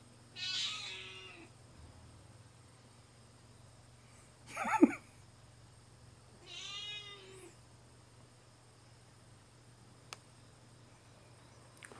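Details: Domestic cat meowing three times in a quiet room, about every three seconds: a high, short, strained meow, then a louder sharp one, then a longer, harmonic, falling meow. A soft click comes later and a low hum runs throughout.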